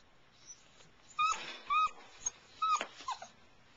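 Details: Airedale Terrier puppies in a whelping box at night, giving short high whining whimpers in brief bursts, several close together in the middle, over a quiet background.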